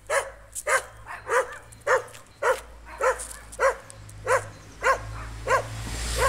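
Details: On a street walk, a Jack Russell Terrier meets a stray dog and barks at it in a run of sharp, clipped, mid-pitched barks, about twice a second, over a low hum with hiss rising toward the end.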